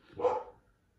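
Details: Pet dog interrupting a podcast intro with a single short, harsh bark that swells and fades in under half a second, recorded indoors with little else heard.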